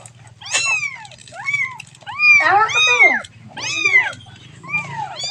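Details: Kitten calling for its mother with loud, arched meows in bursts, some drawn out and wavering, separated by brief pauses over a steady low hum.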